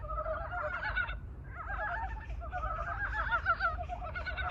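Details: Mountain brown frogs newly awakened from hibernation calling a love song; a dense chorus of overlapping nasal, chattering croaks in continuous bursts, with a brief lull near the one-second mark and low rumbling background.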